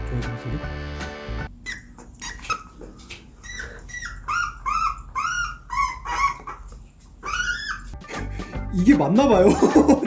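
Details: A pet hedgehog, just after having its nails trimmed, gives a run of short, high chirping squeaks in quick succession when its genital area is touched. Its owner of four years had never heard it before. Background music plays.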